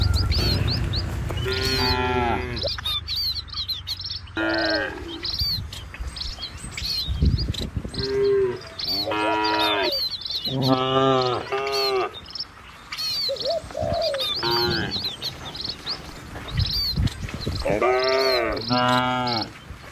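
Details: A herd of cattle driven by a herder down a village road amid trees and rice fields, many moos from several animals, some overlapping, in an irregular series, with frequent bird chirps and rustling background.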